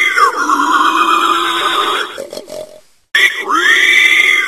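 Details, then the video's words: A wild boar grumbles, giving loud, drawn-out, nasal grumbling cries broken by a brief pause. "SANGLIER qui GROMMELLE le CRI du SANGLIER"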